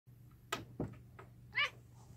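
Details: A Siamese cat playing with a Tonkinese cat gives one brief, bright mew among soft thumps and scuffles of play.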